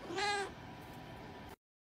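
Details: Short rising-falling domestic cat meow, bright and harmonic, lasting under half a second before fading into quiet room noise and cutting to silence.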